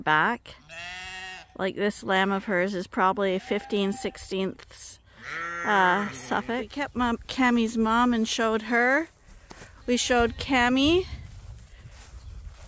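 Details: A crowd of rams and ewes at Ewetopia Farms bleating together during the morning pile-up before going out to grass; loud, continuous chorus of many overlapping, wavering bleats with barely a pause.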